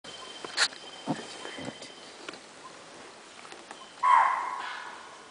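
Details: In a quiet forest, an animal gives a loud, harsh, bark-like alarm call, a stress call warning other animals that a tiger is approaching.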